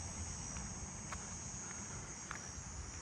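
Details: On a July 25 night walk through a neighbourhood, a nearby robust conehead, the closest heard this year, sings a loud, steady, high-pitched buzz without a break.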